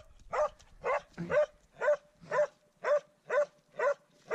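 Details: Swix, a dog at its first encounter with a wild boar, baying steadily: loud, sharp barks repeated about twice a second in an even, unbroken rhythm.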